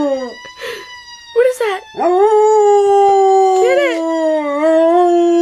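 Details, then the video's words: Eva, a pet dog, howls in response to a siren: a few short rising notes, then one long sustained tonal howl that holds steady and slides slowly, with a person's voice breaking in. "dog howling at siren"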